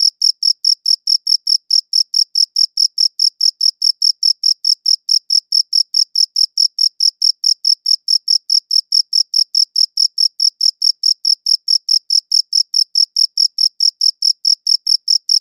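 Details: Crickets chirping, recorded on a quality audio recorder, in a long unbroken run of rapid, evenly spaced high chirps, roughly four to five per second. The trill is steady and clear against complete silence.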